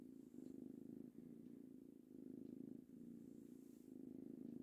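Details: Ginger kitten Tango, three months old, purring contentedly while being petted; a steady low rumble in rhythmic breaths, each swell lasting about a second with brief dips between inhalation and exhalation, no other sounds.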